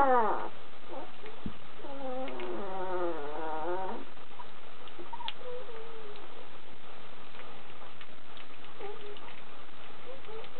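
Kuvasz puppies whine: a falling cry, then a long wavering, quavering whimper, with soft squeaks afterward.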